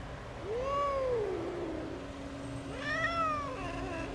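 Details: Rescued abandoned kitten that survived two days in -11°C snow without food or shelter; two drawn-out arching meows, the second higher and brighter, over a steady low hum.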